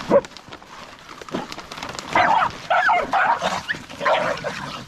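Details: Stray dog giving a run of loud, harsh barks and yelps, clustered bursts in the second half after a quieter start with scattered thumps and faint noise.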